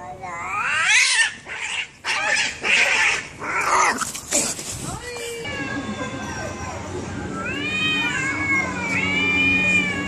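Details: Cat fight: harsh noisy bursts of hissing and scuffling open the clip, then a run of repeated arched, strongly harmonic yowls rising and falling in the second half.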